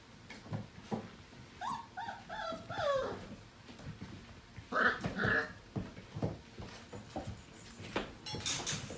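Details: Five-week-old Portuguese Water Dog puppies from one litter playing indoors in the morning; short high whimpering yelps in two bursts, around one and five seconds, with scuffling and bumping noises between them.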